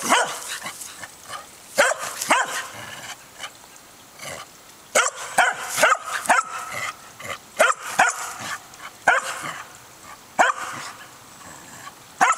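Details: Barking from Winnie, a three-year-old corgi, trying to get the old corgi Oliver to play in a back yard: clusters of quick, high barks separated by pauses, with light rustling between bursts.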